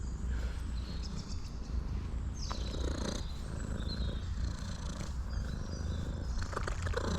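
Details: Hungry female tuxedo cat, waiting on a forest road after rain, purrs loudly in greeting: a steady, deep, rumbling purr running without break through the whole stretch, with faint bird chirps above and a few soft human words.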